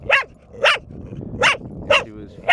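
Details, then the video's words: Four-year-old female dog Bear in a long barking bout: five sharp, bright barks in steady succession, roughly one every half second, with faint speech underneath. "4 year old dog, voted most annoying 3 years running."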